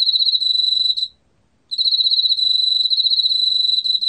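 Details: Emma field cricket, a 2020 recording from the National Institute of Biological Resources: a high, even chirping trill with a fast pulse. It stops for about half a second after one second, then resumes just as steadily.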